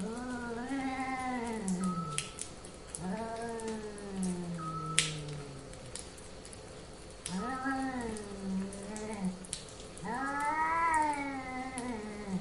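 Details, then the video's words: Cats in heat giving mating calls: long, drawn-out wailing yowls that rise and then sag in pitch, each lasting two to three seconds, with four separate cries and brief quiet gaps between them. "Cats in Heat"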